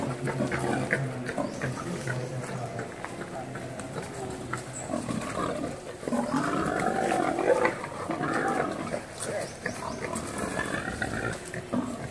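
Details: Wild boar mating: deep harmonic grunting and groaning calls, with the strongest drawn-out moaning grunts in the middle section, and a constant low hum underneath.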